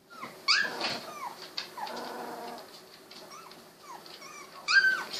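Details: Sixteen-day-old Golden Retriever puppies, eyes newly opened, squirming together; soft overlapping whimpers and thin high squeaks rise and fall over a low rustling background, with a sharper yelp near the end.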